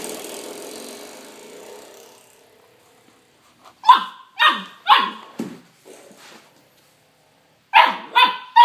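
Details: Young puppy barking at a doorstop it is fighting and biting: after soft music fades out, a quick run of four sharp, yappy barks, a pause, then three more barks at the end.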